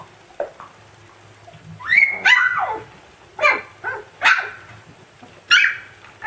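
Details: Siberian Husky puppy yelling at its siblings: a run of loud, high, squealing yelps and short barks in bursts about a second apart, some drawn out and bending down in pitch.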